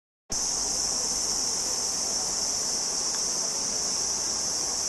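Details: Cricket song: a steady, unbroken high-pitched shrill trill that starts abruptly after a brief silence and holds at an even level throughout, with no other clear sounds.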